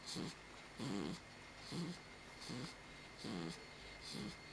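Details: A pit bull sleeping after its bath snores in steady low rasping pulses, about six breaths in under five seconds, each with a soft airy hiss; quiet room.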